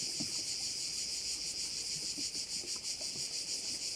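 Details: A dense chorus of crickets at a bay in Korčula makes a steady high-pitched shrill that pulses faintly as many callers overlap.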